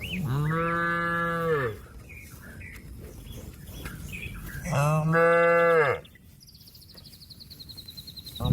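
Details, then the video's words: Cattle calling companions to come back to the pen, two long steady moos about three seconds apart, each over a second long, with light bird chirps between and a descending trilling bird at the end. "suara sapi lembu memanggil kawan untuk pulang kekandang nya"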